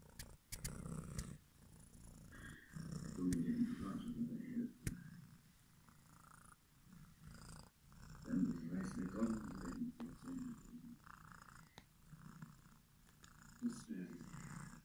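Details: Domestic cat purring with a low, steady rumble, broken by a few sharp clicks and brief soft voiced sounds that rise and fade.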